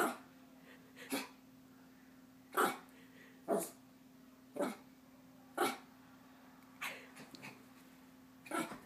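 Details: Bailey the Chihuahua, excited and eager to play before bedtime, gives short high barks about once every second, each a brief bright burst, over a constant low hum in the room.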